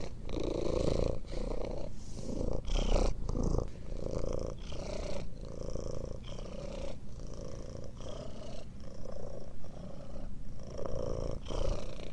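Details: Continuous low purring from a domestic cat, rhythmic rumbling bursts tied to each breath, some louder rustly moments near the start and faint high whistly overtones.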